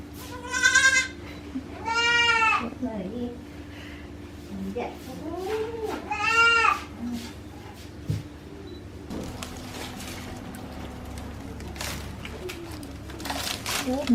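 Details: At a hobby goat farm in Himi, Japan, on 9 March 2019, a newborn kid stays with its young mixed-breed mother; three loud quavering bleats and a softer one early on, then people talking and handling noises.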